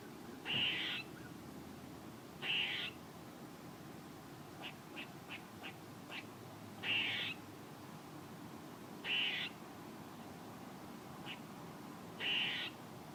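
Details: Squirrel calling with six loud, rasping, half-second bursts at irregular intervals of two to three seconds, with a run of short soft ticks in the gap between the second and third calls.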